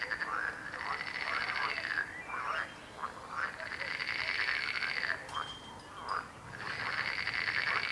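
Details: A chorus of croaking frogs, long rasping pulsed trills broken by brief gaps and quick bouncy croaks, the calls overlapping and restarting in waves every couple of seconds.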